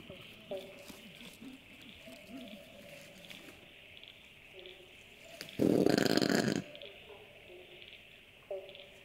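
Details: A common brushtail possum (Trichosurus vulpecula) gives one harsh, rasping, throaty growl lasting about a second amid quiet night sounds; a common nocturnal call in the Australian bush and suburbs.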